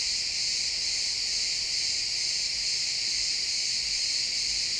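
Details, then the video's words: A pine forest at sunset, with a chorus of chirping crickets in an XY stereo recording. A constant, bright, high trill that holds level throughout, the many callers merging into a continuous hiss-like pulse, with the woods otherwise quiet. "Cricket sounds in the pine forest"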